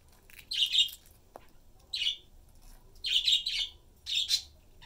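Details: Pet squirrel Peanut, three years old, digs into garbanzo beans in pods, his favourite treat; four short bursts of high, shrill squeaky chatter, each lasting under a second, separated by brief quiet pauses and one faint click.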